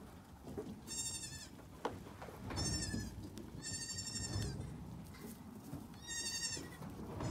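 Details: High-pitched bleating from Nigerian Dwarf goat kids, May 2, 2019: four strained, quavering cries, each about half a second long, coming roughly every one to two seconds against constant low background noise.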